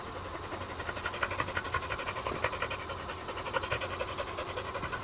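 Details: Four-year-old black female field-type Labrador Retriever panting rhythmically on a walk with an extendable lead, quick breathy huffs repeated about three times a second over steady background noise.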